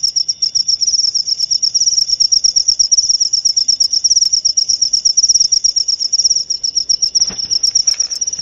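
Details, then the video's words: Cricket calling steadily, a high, narrow-pitched chirping pulsed in rapid regular bursts, roughly three per second, continuing without pause; a few faint clicks and a brief low thump in the background. "Suara Jangkrik"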